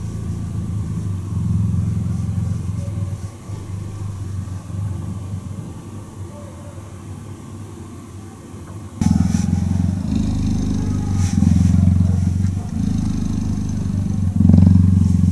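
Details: Cheetah purr heard while cuddling: a soft, low rumble for the first half, then a sudden louder, coarser throbbing purr from the ninth second onward.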